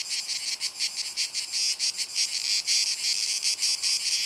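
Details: Cicada orni male, perhaps dueling with a rival, producing a high, harsh buzzing song chopped into quick regular pulses, roughly three per second, throughout.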